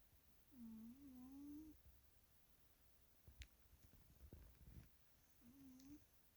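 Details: Male pet cat snoring while asleep indoors: a wavering, nasal, whistle-like tone drawn out for about a second near the start and returning briefly at the end, with soft clicks and rustles in between.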